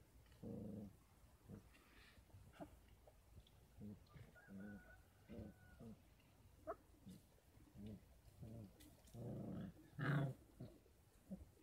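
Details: Kangal puppies, 33 days old, at a Kangal dog farm, given supplementary formula and goat milk because the mother's milk is insufficient; soft, low whimpering yelps in short repeated bursts with a faint thin whistle-like tone midway, quiet background hiss.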